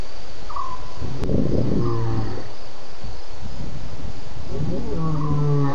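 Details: At least two lions roaring at the Djuma waterhole at 01:30 a.m. on 11 November 2016, after a buffalo drinks; deep harmonic roars swell and fade, a burst near the start and another toward the end, over steady low rumble.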